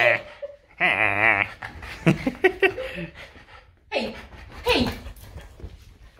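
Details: French Bulldog indoors arguing with its owner over bedtime: a loud, wavering, warbling moan that rises and falls for about half a second, followed by a woman laughing and talking in a small room.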